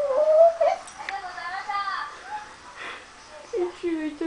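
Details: Pembroke Welsh Corgi named Gigi whining indoors when her owner won't play ball: a high, tonal whine rising at the start, human speech in the middle, then short falling whines near the end.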